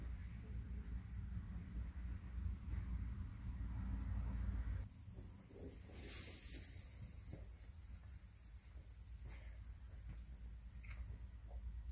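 Only low wind rumble and faint background hiss are heard, with no animal calling.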